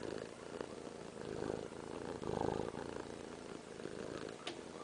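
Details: Cat purring contentedly as she is held, a continuous low rumbling purr that swells slightly in the middle, with light handling noises and a brief click near the end.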